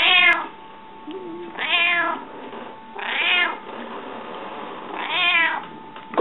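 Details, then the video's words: Hungry house cat meowing repeatedly, four long wavering meows about every one and a half seconds, the second and third strongest, with a faint steady hum and a sharp click near the start. "Runājošais kaķis,Talking Cat"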